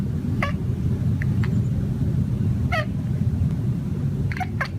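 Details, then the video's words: Cat on a patio muttering to itself while stalking birds: a few quick downward-sliding chirps, some doubled, spaced unevenly against a constant deep background rumble. "Cat mumbles to himself while hunting birds on the patio"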